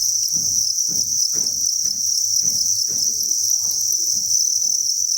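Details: A steady, piercing trill rises from the massed crickets of a breeding facility, a continuous high buzz without pauses, while soft low knocks and scraping sounds repeat roughly every half second beneath it.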